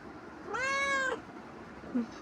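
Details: Domestic cat pestering its owner after returning from roaming: one drawn-out, clear meow lasting about half a second with a steady tone, followed by a faint short chirp near the end; quiet room background.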